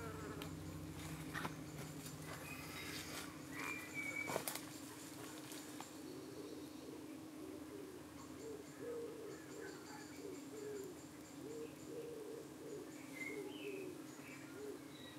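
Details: Honey bees at a hive entrance in the UK, under attack by darting flies. A steady, droning hum with layered harmonic tones runs throughout, with short wavering higher buzzes and a few clicks and knocks.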